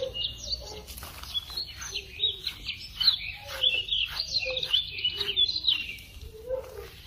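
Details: A fox being brushed gives a rapid run of high, thin squeaks and chittering chirps, almost birdlike in tone.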